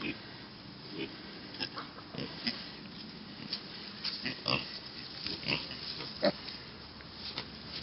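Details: Mini pig piglets on a farm making soft, short grunts and snuffling sniffs at irregular intervals, some closer and sharper, with a person's voice faintly in the background.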